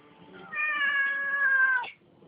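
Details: Siamese cat talking indoors: one long, drawn-out meow holding a steady tone for about one and a half seconds, ending with a short upward flick; a person speaks softly around it.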